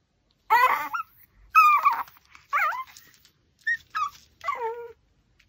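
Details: While eating a raw pork backbone, a Pomeranian lets out clear whining whimpers, six bursts that bend up and down in pitch, some long and quavering, others short and high.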